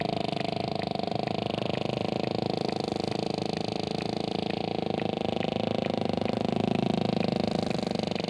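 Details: Sperm whale making steady, rapid clicks, roughly three to four per second in an even train, over a dense continuous low rumbling and grunting backdrop.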